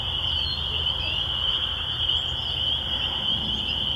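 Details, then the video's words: Rural church grounds filled with spring peepers, a piercing high continuous chorus of overlapping peeps above a faint low hum. "spring peeper sounds"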